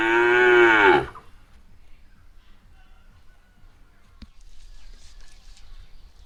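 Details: Loud cow moo trailing off and ending after one second, followed by near silence broken by one sharp click and faint low rustling.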